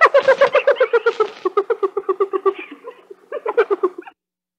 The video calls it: hyena sound